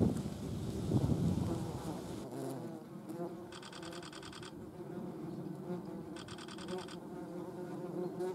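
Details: German wasp, or yellow jacket, buzzing: a loud low drone at first, then a softer continuous hum. Two brief bursts of rapid high ticking pulses also appear.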